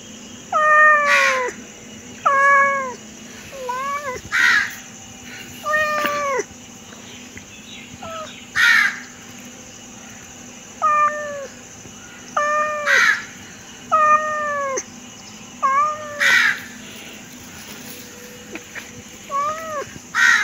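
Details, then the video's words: A house cat calling again and again, around a dozen short, bent meows arriving in uneven bursts, some doubled, against a quiet humming background. "My cat meow meow meow"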